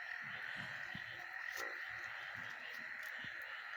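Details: A dense chorus of frogs near a house in western Uganda, recorded in darkness around 5:30–6 a.m., gives a steady shimmering trill with many voices blending together.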